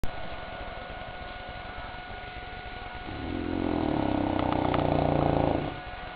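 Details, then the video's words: Goliath, a St. Bernard, asleep and snoring at his favourite pastime: after quiet breathing, a loud, rattling, vibrating snore swells and holds for a few seconds, then fades, over a steady low background hum. "Bernhardiner Schnarchkonzert"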